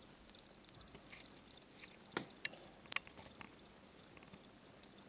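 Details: Pet crickets, a pair bought from a petshop as reptile food and given to a boy on his name day. Steady high-pitched chirps repeat roughly every third of a second, with a few faint clicks and knocks between them.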